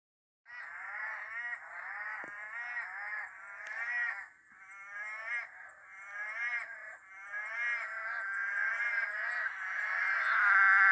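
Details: Rainforest frog chorus on a very dark, drizzly night, the green ones taken as Eastern Dwarf Tree Frogs among brown frogs of other species, calling all around: dense overlapping rattling trills, buzzy and pulsed, building louder toward the end.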